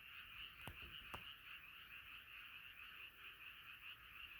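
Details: Many frogs gathered in a nighttime chorus, calling in a constant dense trill of croaks; two sharp taps stand out early before the steady chorus continues alone.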